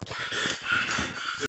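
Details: A Staffordshire/American Bull Terrier gives a brief, thin, high whine over a rough, breathy background.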